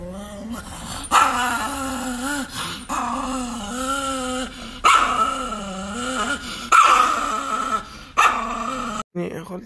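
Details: Chihuahua growling in long, wavering, moaning bursts that rise and fall in pitch, several drawn-out growls in a row separated by short pauses, with a person talking over them.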